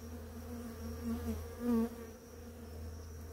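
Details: A bee among many visiting flowering ora-pro-nobis in the morning flies close, its buzzing hum rising to a loud peak then dropping away over a steady background drone.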